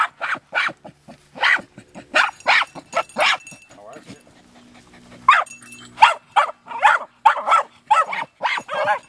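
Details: Two female Jagdterriers, mother Luco and six-month-old Effie, barking while working an armadillo after seven rainless weeks in the 90s; quick repeated yelping barks in clusters, a short lull midway, then a dense run of barks.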